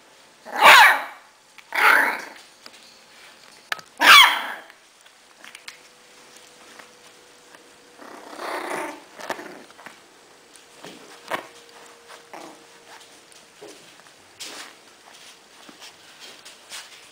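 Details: Six-week-old Bichon Frise puppies from a "V" litter, indoors in a small room: three loud, rough, noisy bursts in the first four seconds, then softer scattered yips and snarls over a faint steady hum.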